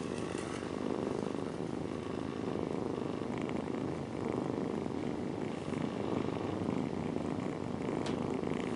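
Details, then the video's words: Domestic mother cat with nursing kittens snuggled against her; a continuous, rough, low purring drone fills the whole stretch with little change in loudness, plus faint rustling. "Cat Mom's Lullaby: Purring Kittens Drift into Dreamland"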